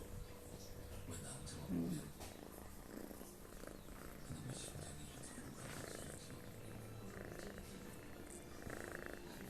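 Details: Sleeping house cat Toto snores in a small room, a continuous low purring rumble rising and falling with slow breaths, with quiet human voices and small household noises in the background.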